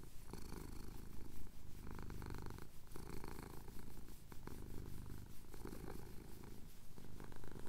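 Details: Male domestic cat purring as his chin is scratched during a Cotswold sunrise; deep, throbbing purr with alternating inhale and exhale phases about every second, recorded close on a handheld recorder.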